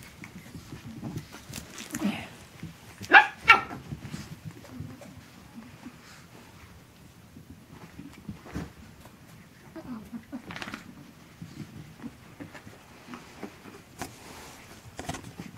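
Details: Chihuahua puppies Asher and Indigo, 12 weeks old, at play on December 3rd 2013. A few short, sharp yelps with a bright harmonic stack burst out around the three-second mark, amid long stretches of soft shuffling and rustling.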